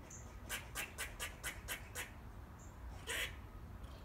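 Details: Eastern gray squirrels chatting among back-garden trees: a quick run of about six harsh, clicky chucks over one and a half seconds, a pause, then a single louder chuck, with low background hum throughout.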